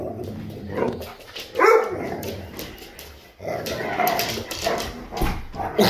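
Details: Siberian Huskies playing indoors, one young husky ramming another into a wall; short harsh woofs and a sharp yelping burst stand out amid scuffling, with a person's voice speaking now and then.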